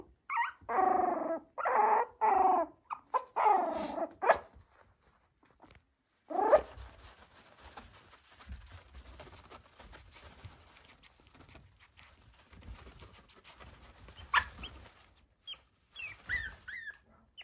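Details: Yorkshire Terrier at a breeder's home in Okayama, Japan, giving drawn-out whining cries in several bursts, then rustling and quieter handling noises with faint high squeaks.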